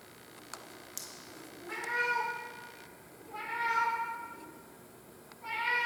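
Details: Pet cat Tarzan crying: after a couple of faint clicks, three long wailing meows follow at intervals of about one and a half to two seconds, each steady then slightly falling.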